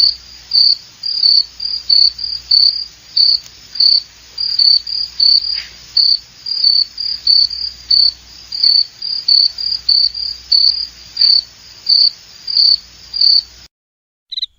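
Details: Cricket giving a long run of bright, high chirps, evenly spaced a little over half a second apart, continuing for about thirteen seconds before stopping abruptly, with a faint low background hum.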